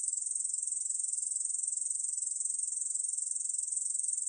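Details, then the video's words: Ussuri bush cricket, 2020 recording: an unbroken, high, sizzling trill of fast, regular pulses that keeps a constant pitch, with nothing else audible. "중베짱이, 여러번 듣기, 곤충소리"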